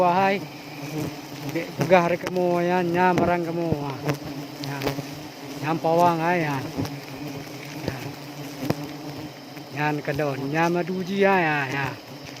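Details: Honey bees buzzing during a wild forest honey harvest high in a large tree in Aceh Besar, Indonesia; a steady low droning hum with bursts of wavering, rising and falling whines as bees pass close, plus scattered knocks and clicks.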